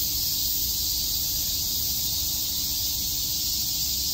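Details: A summer cicada chorus at Shakujii Park in Tokyo, heard as a constant, bright, sizzling buzz with no gaps, accompanied by a thin steady hum and low background murmur.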